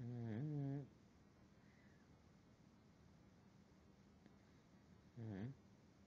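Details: At night a pug dozes on a pillow, letting out one deep, buzzing snore at the start and a shorter, softer one about five seconds later, with near silence in between.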